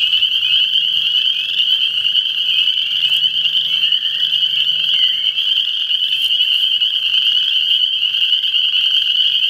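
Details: Frogs calling together in a dense, unbroken, high-pitched chorus of many overlapping trilled voices, steady and loud throughout with no pauses; a faint low hum sits beneath at the start.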